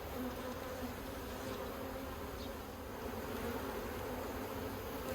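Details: Colony of honey bees working plastic frames in a yellow hive, Australia, 9 October 2021, giving a constant deep murmuring hum that swells slightly and never stops.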